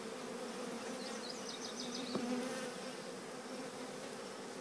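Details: Swarm of bees being installed into The Cathedral Hive by walking in on their own: a dense, constant hum, overlaid early by a rapid series of high chirping bird notes, and one sharp click just after two seconds.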